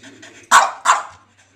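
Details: Two loud, sharp barks about a third of a second apart from Rocket, a male foster dog indoors, following a low murmur of background noise.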